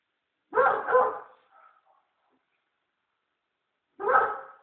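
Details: House-guarding American Staffordshire Terrier barking: a loud double bark with a faint trailing whine, then a pause of about three seconds before another strong bark.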